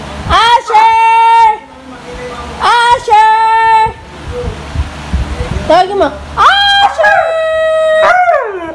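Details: Siberian Husky female calling her owner to let her out. She gives two level, sustained howling notes about two seconds apart, then a quieter pause, then a quick run of rising yips and a longer wavering howl sliding down at the end.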